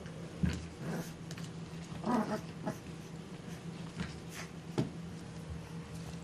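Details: Six-week-old English Bulldog puppies, tri-colour brothers Bruno, Harvey and Buzz with black or blue coats, indoors; a few short soft whimpers and small growly vocalisations scattered over a constant low hum, with faint rustling.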